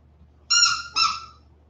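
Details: West Highland White Terrier puppies, 47 days old, back indoors after an outdoor break; a loud, high, clear whine in two quick parts, the first held about half a second, the second shorter and falling away, over quiet background.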